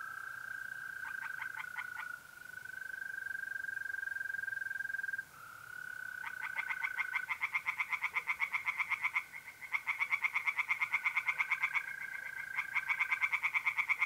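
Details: Tree frogs singing in a pond on an April night in north-east Italy: bursts of rapid, harsh, evenly pulsed croaks several seconds long, over a steady high continuous trill from mole crickets.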